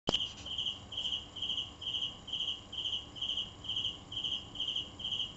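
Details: Cricket chirping: short, high, pulsed chirps repeated steadily about twice a second, each a quick trill of a few pulses, over a faint hiss.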